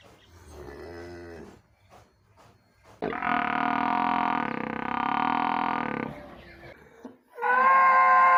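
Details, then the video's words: In a village among cows, a buffalo gives a sustained bellow of about three seconds, flat and hoarse, after softer grunting sounds. A louder, brighter call breaks in at the very end. "Village buffalo and cow sound"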